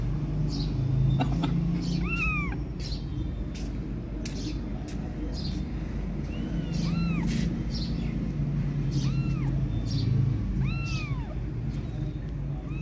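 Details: Fluffy kittens left without their mother meow repeatedly in thin, high, arched cries, several in quick succession, over a constant low hum with soft clicks and a faint voice.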